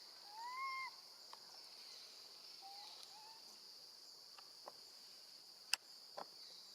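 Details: Young female monkey calling for her absent mother while left with her gentle grandmother: one strong, arched, whistle-like cry at the start, then two softer short wails, with a constant high-pitched insect hum and scattered clicks.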